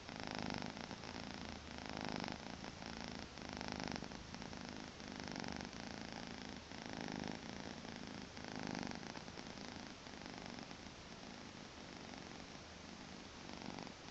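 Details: Maine Coon kitten, two months old, purring on a weekend morning indoors: a rumbling purr that swells and fades in breath-linked waves about every one and a half seconds.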